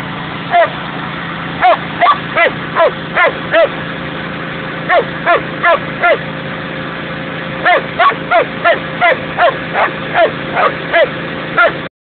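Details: A collie barks at a tractor in sharp, repeated, excited bursts, often two or three quick barks at a time, over the steady hum of the tractor's engine.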